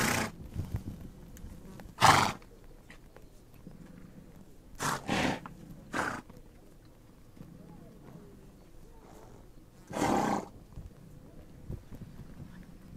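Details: Horses on the Mongolian steppe give loud, breathy snorts in short bursts near two, five, six and ten seconds, with quiet low rustling in between.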